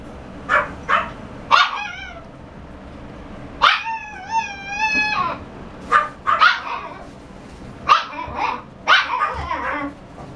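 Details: Shiba Inu dog mixing short high yips with a long wavering whine lasting over a second, then resuming quick barks in pairs and clusters through the rest of the recording.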